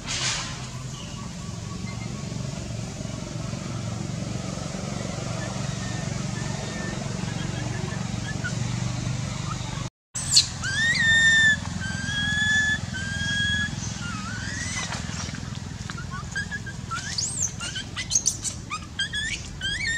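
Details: Baby monkey crying in pain from its eye: after a brief dropout, a series of high, wavering whistled wails with arching and falling pitch, several in quick succession over steady low background rumble.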